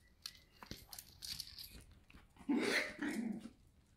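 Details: Kimi, a Shiba Inu puppy at a breeder in the Netherlands, playing indoors: soft rustling and scuffling, then a short, loud, rough yap-like bark burst with a lower grumbling follow-up near the end.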